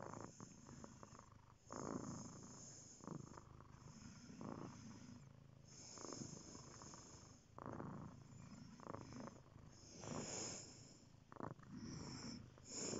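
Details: Purring cat, a low throbbing hum rising and falling in breath cycles roughly every one to two seconds, with soft airy inhalations between swells.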